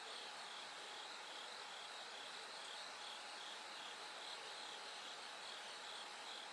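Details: Night song of a bell cricket as light gradually returns: a repeated high ringing trill in brief pulsed bursts rides above a thick, unbroken background of insect noise.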